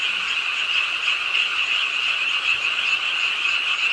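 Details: Frogs croaking together at a pond in Suwon's Ingye Art Park on a rainy late night, a dense, steady, high-pitched chorus trilling without pause in a city park.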